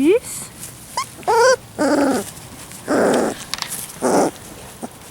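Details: Labrador Retriever puppies on their first day on the lawn, unhappy: a rising squeal, then several short whimpering yelps and whines spaced about a second apart, with a woman's soft voice nearby.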